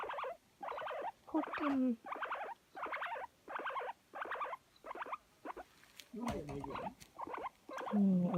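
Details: Guinea pig seeking affection, recorded spring 2019: loud rhythmic squeaking bursts repeated about twice a second, some ending in low drawn-out purring whistles, close to the microphone indoors.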